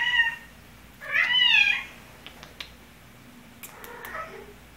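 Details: Cat at the vet's office: a short meow, then a louder, harsher wavering meow around one second long, followed by faint clicks and a soft, quieter call near the end.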